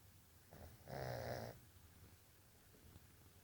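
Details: Jazz the Jug puppy sleeping: a single buzzy, fluttering snore of about half a second, preceded and followed by soft, quiet breaths.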